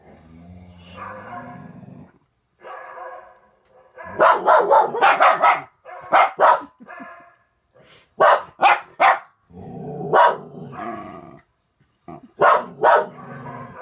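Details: Norwegian Elkhound and German Spitz indoors, one overexcited at a husky on the television: bursts of loud, sharp barks in quick clusters, between stretches of the TV's softer whining puppy sounds.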